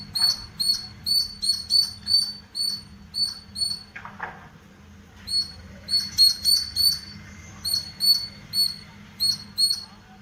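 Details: A squirrel in a green house garden gives sharp, high chirps in quick, regular bursts, each note clipped and bright.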